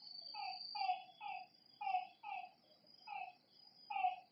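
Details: Frogs calling at night by a lake: short, nasal, harmonic croaks repeated in quick pairs and triplets, with a thin steady high insect whine running underneath throughout.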